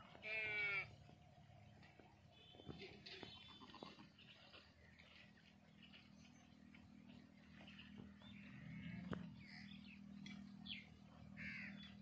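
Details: Playing lambs outdoors: one short, clear wavering bleat opens, then a long stretch of low rumbling background noise with faint scattered sounds and occasional knocks.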